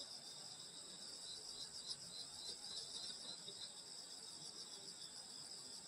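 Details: Countryside summer night, grass insects producing a continuous shimmering high trill in layered bands, steady in volume, a quiet rural backdrop with no other clear sounds.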